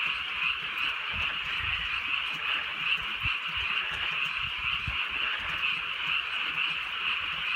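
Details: Many frogs croaking in unison on a rainy countryside night, a steady dense trilling chorus, with light rainfall and a few low thuds in the background.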